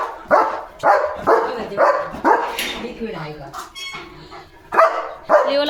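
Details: German Shepherd barking on alert near a gate; a quick run of five harsh barks, then a lull with voices and other noises, followed by two more barks.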